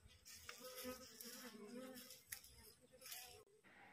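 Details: Humming of a freshly divided wild honey bee swarm resting on a cassava tree during a queen search, a continuous wavering drone with overtones, plus brief knocks and a soft voice nearby.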